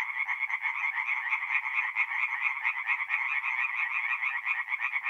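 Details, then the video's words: Singing tree frogs at a forest pond in north-east Italy, at night in mid-April: a thick, throbbing chorus of rapid rattling calls, with individual pulse trains rising and falling within the steady mass. "relaxing forest pond by night with singing tree frogs"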